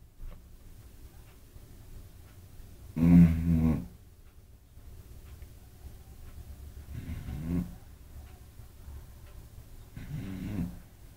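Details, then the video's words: Eight-month-old female Beagle Kira sleeping soundly beside another dog, Apolo, snoring loudly: three low, rumbling snores spaced about three to four seconds apart, the first the loudest, over a quiet background. "Beagle roncando"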